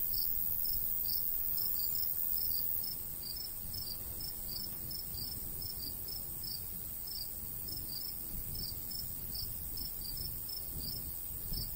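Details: Summer countryside crickets by a golden wheat field: high, clipped chirps in pairs and short runs repeat continuously; low breeze noise underneath drops slightly after the first few seconds.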